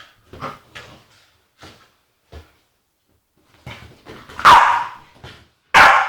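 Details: Agitated female Staffordshire Bull Terrier making funny noises: soft huffs and grumbles in uneven bursts, then two loud, harsh barks close together at the end, the second cutting off abruptly.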